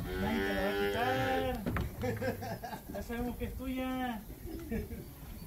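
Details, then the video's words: Calves recorded in Campeche, Mexico, on 20 August 2022. A wavering moo opens, and a shorter tonal bleat follows a few seconds later, mixed with people's voices speaking Spanish nearby. "becerros en Campeche"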